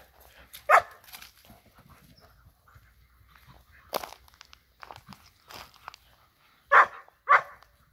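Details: Dogs at play, a Borzoi with Golden Retriever and Poodle friends: one sharp bark, a lull of scuffles and footsteps, then two quick, loud barks close together near the end.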